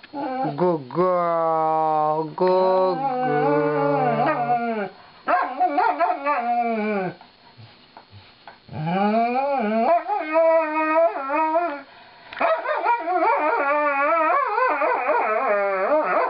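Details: Lightning, a female Alaskan Malamute, sings a song of woe while being brushed by her owners: long wavering howls rising and falling in pitch, broken by short gaps, a few yips near the end.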